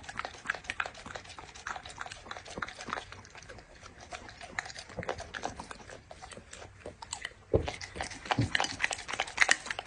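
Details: Dog eating its food, soft irregular crunching for most of the clip, then louder heavy bites and crackles toward the end.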